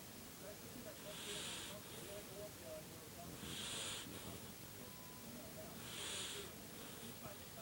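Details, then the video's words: Dog asleep and snoring: three airy, hissing breath bursts spaced roughly two and a half seconds apart, with a faint murmur underneath. "Snoring demon dog"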